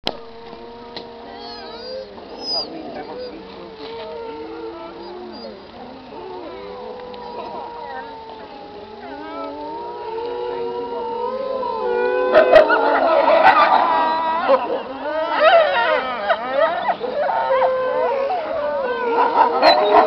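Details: Several wolves howling together as a pack: overlapping long tonal howls, some steady, others gliding up and down, building from a quieter start into a denser, louder chorus with wavering higher voices in the second half.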